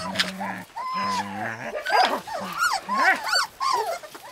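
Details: Lapland husky pups: a low human voice opens, then rapid wavering whimpers and yelps from the puppies climb and fall in quick succession.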